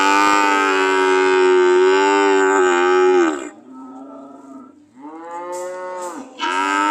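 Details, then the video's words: Cows ready to leave: a loud, sustained, even moo of about three seconds, a quieter lull, then a second, rising moo that falls away before a third begins. "The sound of Cows ready to leave"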